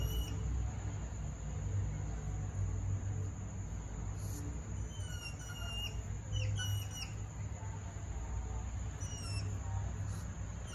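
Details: Mini hedgehogs mating give faint, high, bird-like chirps: short sharp notes scattered singly and in small clusters over a steady low rumble of background noise.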